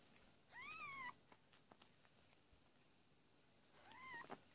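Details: Domestic cat Amber giving birth to four kittens indoors on 22 February 2017, labour beginning around 7 PM; two high, arched mewing cries, one near the start and a shorter one near the end, over faint rustling.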